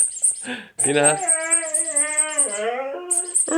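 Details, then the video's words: Squeaky Siberian Husky reaction, heard as a sustained, wavering harmonic whine with a short lower note before it and a dip partway through, set against steady beat-driven music. "husky squeaky sound"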